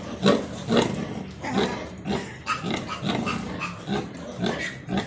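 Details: Crossbred Landrace and Duroc sow giving birth to 16 piglets, Dominican Republic university farm; deep uneven grunts roughly twice a second with some harsher, growling bursts.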